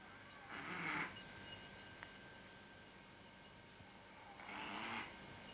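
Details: Domestic cat with a cold, snoring: two raspy, breathy snores about four seconds apart, each rising and falling over roughly half a second, over a faint steady background hiss.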